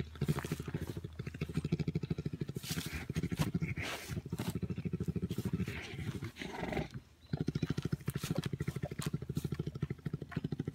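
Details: A bear purring while wrestling: a steady, deep, fast-pulsing motorlike drone, sustained almost without pause apart from a brief break midway, over scuffling and rustling from the play.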